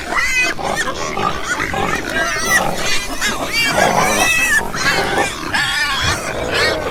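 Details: Many pigs on a farm squealing and grunting together, a continuous noisy chorus of wavering harmonic squeals and rough grunts from overlapping animals.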